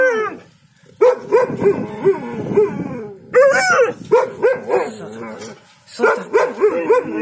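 An Alaskan Malamute 'talks' in rapid, wavering woo-woo yowls that bend up and down in pitch.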